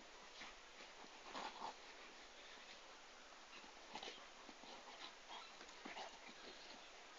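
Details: Komondor dogs, a Hungarian breed, with soft whimpering and yelping sounds scattered through a quiet indoor-sounding background.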